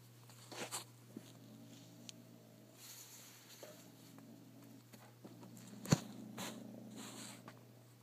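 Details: Retro, a pet cat, growls at a paper scrap that dropped off while he played with a wad of paper. Several short, low, purr-like rumbles come between rustles, knocks and bursts of handling noise.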